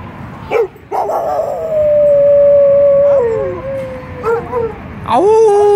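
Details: Dogs howling at a passing fire truck siren; after two short yelps comes a long, steady howl that bends and falls, then a higher rising howl near the end.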